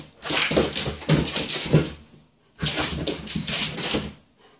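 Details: A Shiba Inu playing and chasing its own tail gives two rough, breathy whining bursts, each lasting about two seconds.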